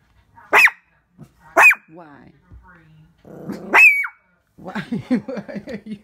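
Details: A Shih Tzu upset by its reflection in the window gives three shrill barks, the last ending in a rising squeak, followed by a woman talking to it in a soothing voice.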